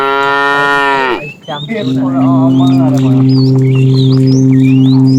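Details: Tame cow from a herd wandering far in search of food: a loud, harmonic moo dropping in pitch over about a second, then a long, steady, low drawn-out lowing tone, with birds chirping faintly in the background.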